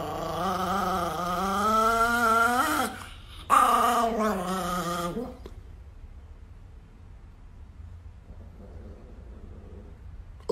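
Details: Niki, an angry Chihuahua, gives a wavering, whiny growl for about three seconds, pauses briefly, growls again for under two seconds, then falls quiet.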